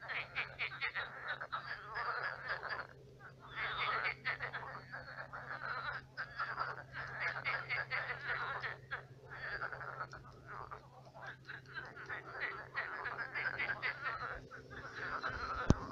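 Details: At night, a crowd of frogs in a pond that has dried into a swamp keeps up a continuous croaking chorus: steady layered rattles and pulsing croaks with brief lulls, and a faint low hum underneath.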